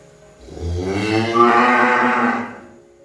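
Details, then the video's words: Single cow moo, low rumbling start rising into a broad, slightly rough bellow held for about a second and a half, then trailing away into quiet. "Suara sapi | cow sound"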